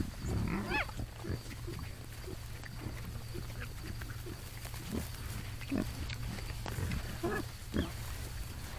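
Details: Morning feral hogs giving soft, low grunts at irregular moments, with a brief rising squeal early on and a steady background hum.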